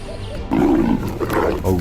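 Leopard snarling harshly in a fight, rough growls surging after a quiet start.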